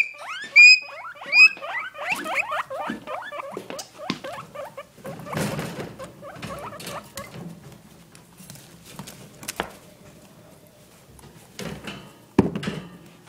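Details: Two guinea pigs in a cage, opening with a quick series of rising squeals that fade after a few seconds, followed mostly by rustling, clattering and sharp knocks as the animals move around.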